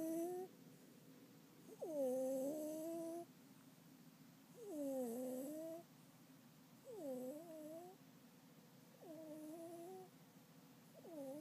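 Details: A pet cat named Hime snoring during an afternoon nap indoors: tonal, wavering snores that dip then rise, each lasting about a second with an airy hiss on top, recurring roughly every two and a half seconds in a quiet room.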